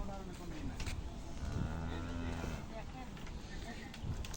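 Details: Cattle at a cattle and goat farm in Shahjadpur upazila, visited ahead of the Korbani Eid (Eid al-Adha); a low, steady moo lasting about one second sounds midway, with people talking over it throughout.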